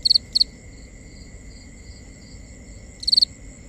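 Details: At night a cricket gives quick high double chirps, then falls silent before a fresh burst of rapid pulses, while a fainter insect trill keeps on steadily in the background.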